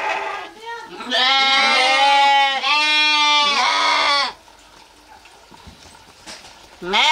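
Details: Sheep or lamb letting out a long run of overlapping, strained bleats lasting about three seconds, harsh and quavering, followed by a quiet pause and the start of another bleat.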